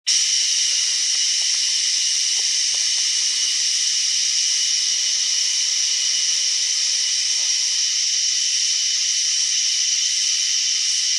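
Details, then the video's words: Cicada making an unusual sound, heard as a steady, dense high hiss-like buzz that holds unbroken for the whole stretch, with faint low clicks and a brief lower hum in the middle. "A weird cicada sound"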